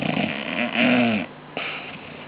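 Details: Bulldogs Mags and Rubes asleep and snoring: a rough, droning snore with a buzzy tonal core that swells and peaks near the one-second mark, fades, then a short snort and softer breathy exhale follow.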